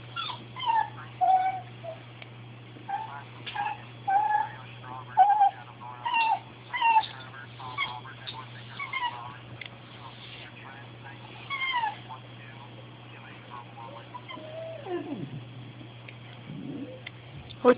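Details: Bailey, a pet dog, pleads when he wants something, moving from small yips to longer cries. Short high whimpering yips recur through most of the recording, with a longer drawn-out whine near the end. A person speaks afterward.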